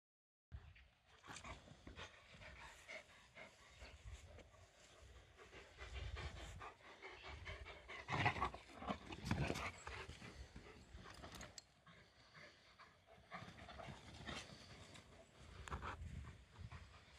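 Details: Komondor dog at play, running and jumping, with quick noisy breathy panting in irregular bursts, a louder rush of breath near the middle, and soft thumps and rustling from movement throughout.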